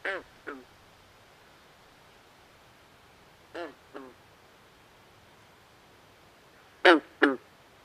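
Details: Night swamp chorus with frogs giving clucking, duck-like double croaks, three pairs separated by long pauses. The last pair is loudest, with low steady hiss throughout.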